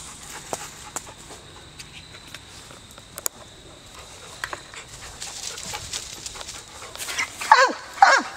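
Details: An American Foxhound gives two loud, harsh barks that drop in pitch, baying at a squirrel it has treed in Perryville Town Park, Maryland.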